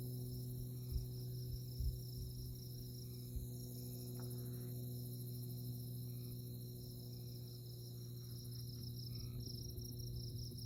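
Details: Prairie insects chirping on a moonlit night at Konza Prairie Biological Station, Kansas: a high rapid pulsed trill runs nonstop, faint mid-pitched buzzy notes appear now and then, and a low steady hum lies beneath.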